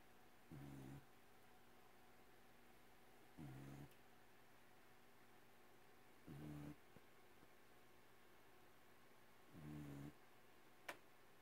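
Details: Sleeping pet cat that snores a lot, heard indoors: four soft, low rasping snores at roughly three-second intervals, each about half a second long, with a faint click near the end.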